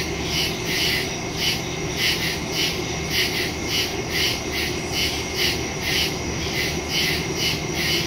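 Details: Crickets in the woods at night, recorded on September 2 on a phone with a stereo microphone: a steady high shrill chorus pulsing in regular beats about every half second, with a faint low rumble underneath.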